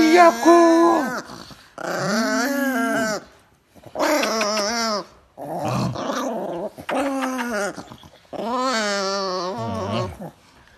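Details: Pet Chihuahua described as angry, producing sustained tonal growls in six separate bursts, each a warbling, harmonic snarl lasting one to two seconds, separated by short silences, indoors.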